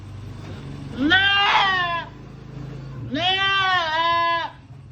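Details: Goat giving birth for the first time: two loud, drawn-out nasal bleats, each about a second long, with rich harmonics and a slight waver. The second bleat follows about a second after the first, with quiet low hum between them.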